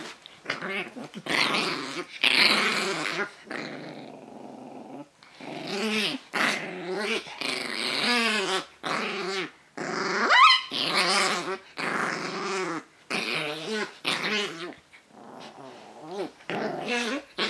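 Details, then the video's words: Pug rumble indoors, a long run of gravelly, wavering grumbles in quick bursts, some rising and falling in pitch, separated by short silences, loud and close. "Pug rumble"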